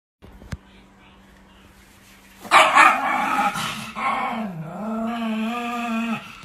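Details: Angry female Chihuahua guarding her puppies: quiet at first, then a sudden harsh bark burst followed by a drawn-out, tonal growling whine lasting about two seconds before stopping.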